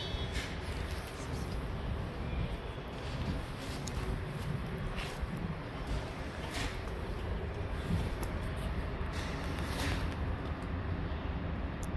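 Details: Outdoor street ambience: a steady low rumble of traffic, scattered taps and footsteps, and no distinct animal voice.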